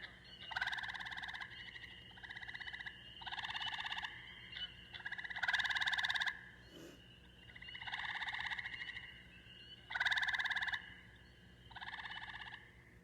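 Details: Eastern gray tree frog call played as a recording during a naturalist's livestream, for comparison with Cope's gray tree frog; slow musical trills in bursts of about one second, repeated every one to two seconds, with quiet background hum.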